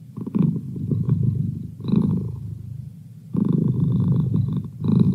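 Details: Deep rumbling purr of a pet cat, coming in long low waves with a quieter lull near the middle before the throbbing resumes strongly.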